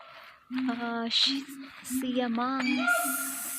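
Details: A female siamang at a zoo in Dubbo, New South Wales, Australia, sings loud, sustained hooting notes with rising, sliding whoops in between.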